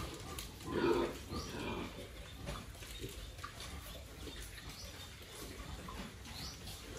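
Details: Farm-raised pig kept by a family with twenty years of pig-rearing experience, giving a short low grunt about a second in, then only faint low rumbling and background hiss for the rest.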